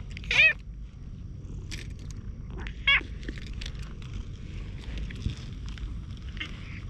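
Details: Hoarse-voiced stray cat approaching outdoors, filmed on a GoPro while being patted on the lower back: two short raspy meows about two and a half seconds apart, then soft rustling and faint handling noise.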